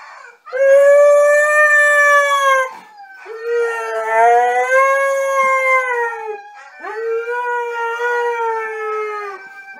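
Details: Siberian Husky sings three long, arching howls of about two to three seconds each, separated by brief pauses. The first is the loudest, and the later ones are slightly lower and softer.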